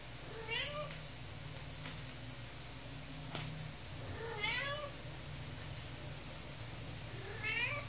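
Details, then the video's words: Kittens 49 days old, one of three living indoors with their mother cat; three rising-then-falling meows spaced a few seconds apart over a steady low hum. "Kittens 49 days old"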